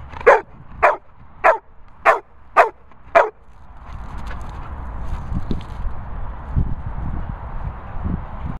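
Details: Labrador Retriever giving six loud, short barks spaced about half a second apart, followed by several seconds of low background rumble and faint knocks with no further barking.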